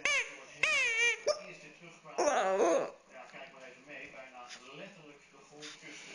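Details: Pet dog Fluffy crying along while playing with his stuffed animal, giving short wavy whining wails followed by a louder, longer quavering cry, mixed with people talking and laughing softly in a small room.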